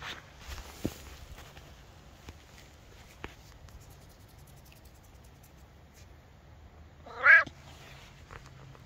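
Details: Maine Coon cat outdoors in a forest on a fine late-summer day, searching for golden chanterelle mushrooms; after a long quiet stretch with a few soft rustles and clicks comes a single short, rising-falling meow.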